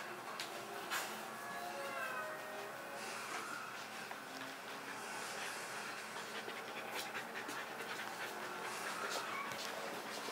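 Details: Leroy, a pet Kerry Blue Terrier, panting indoors when he wants to play: steady breathy rasping with soft airy pulses throughout, with a faint whimper-like tone and some indistinct background voice.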